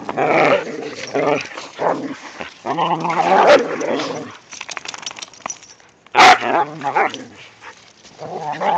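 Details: Playful growling from whippets romping in the first light snow of the season, with a rat terrier along: rough, throaty grumbles in irregular bursts, a quiet stretch, then one loud sharp yip before more growling.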